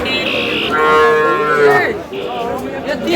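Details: Bull calves at a cattle market in Narsingdi, where Sahiwal bull calves are sold: a drawn-out, harmonic calf bawl, level then bending downward, followed by a shorter call, with market chatter and voices around.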